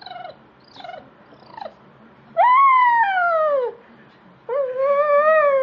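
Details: Watching Animal Planet on TV, the beagle Sam gives several short falling yelps, then two long, loud howls, the first sliding slowly downward, the second held steady and slightly wavering.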